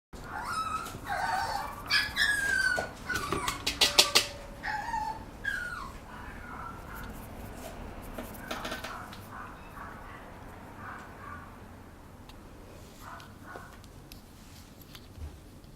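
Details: A Papillon puppy gives high thin whimpers and squeaky yelps in the first five seconds, followed by softer scattered squeaks and faint handling noise.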